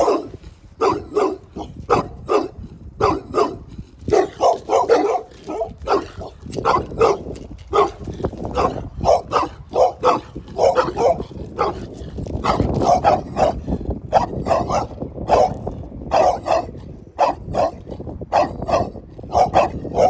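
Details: Dog barking in dense, rapid bursts, sharp broadband barks tumbling over one another with only brief gaps, steady low rumbling noise underneath throughout.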